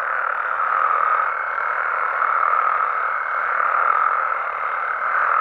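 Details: Frogs and toads in Mexico after dark: a steady wall of overlapping trilling calls, swelling gently and falling back roughly every second or two, with no pauses.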